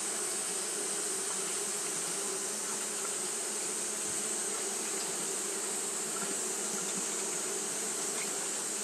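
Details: Continuous drone of Japanese honey bees kept fanning through a hot day, an even hum with stacked low bands and a steady high hiss, no pauses.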